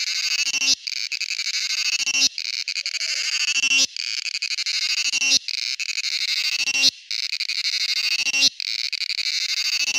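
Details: Song of a male cicada, a grating pulsed buzz repeated in long bursts of roughly one and a half seconds separated by short silent gaps, steady and loud throughout.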